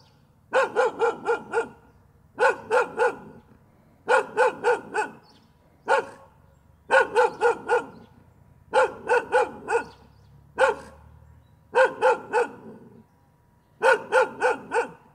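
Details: Repeated bursts of three or four loud, rich barks from a dog, coming roughly every one and a half to two seconds, occasionally a lone bark, over faint low hum.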